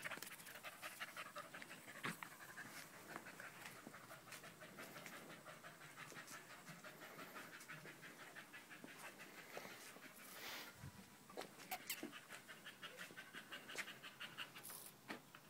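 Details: Danco the dog hechelt noisily on 05.08.2013, staying pressed against a person's leg; a long run of rapid breathy pants with a few louder clatters in the background.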